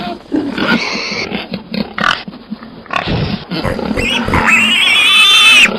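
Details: Pig sounds: scattered rough grunts and snorts in quick succession, then a rising, sustained high-pitched squeal that fills the last second and a half.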